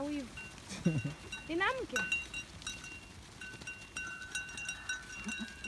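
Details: Farm goats calling in a group: several quavering, wavering bleats overlap in the first two seconds, then quieter ones follow, over steady ringing bell-like tones and low background rumble.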